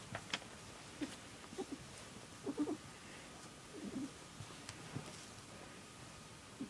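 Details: Male pet cat named Squirrel purring with an unusual girly warbling voice, a purr he makes only for one family member, recorded indoors while lying down together; soft low warbled bursts come every second or so, with quiet room noise between.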